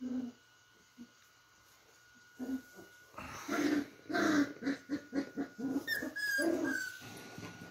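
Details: Beagle puppies playing indoors, trading low play growls and short yips in rapid bursts, then a few high squeaks, over scuffling and a faint steady background tone.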